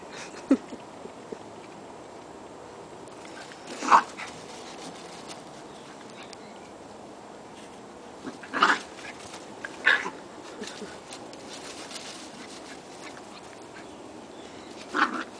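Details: Two puppies playing around in a backyard, giving short, sharp yips near 0.5, 4, 8.7, 10 and 15 seconds, with steady low hiss between the calls.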